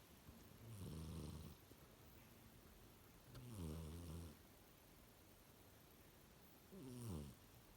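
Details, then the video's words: Cat snoring while asleep: three slow, low, rumbling breaths spaced about three seconds apart. Each one swells and fades with a buzzy, harmonic texture. A quiet background lies between them. "Snoring cat"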